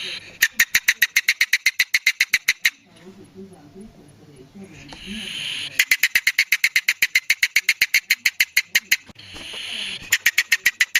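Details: Real polecat sound from the wild: long runs of rapid, dry clicking chatter, roughly four pulses a second. Between them come quieter low grumbling and a breathy hiss, then the chatter starts again.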